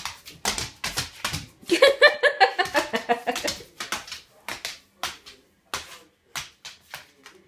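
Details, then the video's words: An 11-year-old bull terrier performs indoors for treats, 'singing and dancing': a fast train of short, clicking pulses with a brief stretch of high, tonal whining yelps in the middle, while a person repeatedly asks whether the dog wants something. "Bull terrier singing and dancing"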